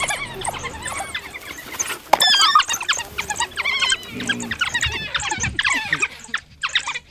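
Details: African wild dogs (painted dogs, Lycaon pictus) twitter in a dense chorus of high, squeaky chirps and squeals from several animals at once.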